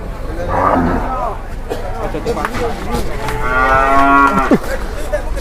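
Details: Wild, angry cattle that charges straight after leaving a truck, letting out a short moo, then a long harmonic bellow that drops sharply in pitch at its end, with thumps and a background rumble.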